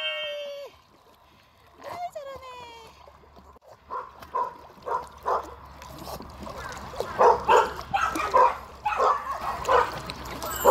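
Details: Schnauzer jumping into the water and swimming, giving a run of short, sharp barks repeated roughly every half second in the second half, with splashing; a woman's Korean speech and a whistle-like tone come first.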